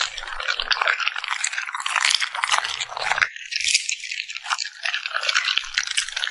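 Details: A puppy eats noisily, smacking its lips. Thick bursts of crisp crunching and moist clicking run almost without break, with one short quieter gap partway through.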